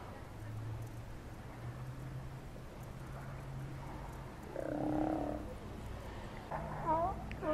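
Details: A Steller sea lion gives a deep, croaking growl over a steady low rumble at Cowichan Bay, Vancouver Island, Canada.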